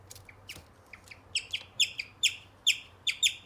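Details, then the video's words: A male guinea pig gives a series of high, bird-like chirps, starting softly and irregularly, then growing louder and more regular at about two per second, each note a quick falling slur. "Guinea pigs chirping sounds"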